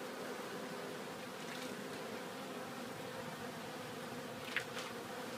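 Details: Honeybees bringing collected pollen back to the hive at Glen Bee Farm; a steady, dense low hum of many wings continues throughout, with a brief sharp tick near the end.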